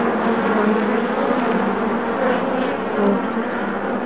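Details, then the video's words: Honey bees at Dixon, recorded July 8, 2016: a dense, steady droning hum with low tonal bands throughout, the whole swarm blending into one continuous buzz without pauses. "Dixon Bee's"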